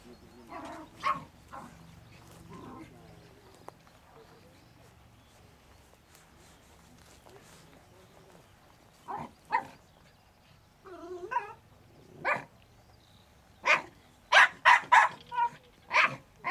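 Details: A Jack Russell Terrier working in an artificial earth trial gives sharp, rapid barks in quick bursts, with some speech nearby.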